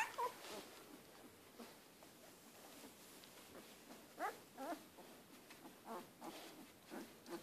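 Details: One-week-old Siberian Husky puppies from Zeebee's litter stir in their sleep, letting out faint squeaky whimpers in scattered clusters, most around the middle and late part, against a low hiss of room noise.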